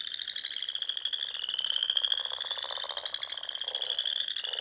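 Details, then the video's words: Spring frog chorus from small lakes and ponds in Nebraska's Sandhills at dusk: a steady shrill trilling drone from many frogs, with lower rapid pulsed notes swelling in the middle. "RELAXING SOUNDS OF FROGS"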